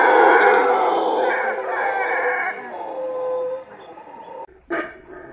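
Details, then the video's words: Howler monkey, described as one of the loudest land mammals, gives a loud, rough, droning howl that holds steady for about three and a half seconds, then fades away, followed by a short, sharp burst near the end. "Howler Monkey Howling Compilation | Sounds of Howler Monkey Howling"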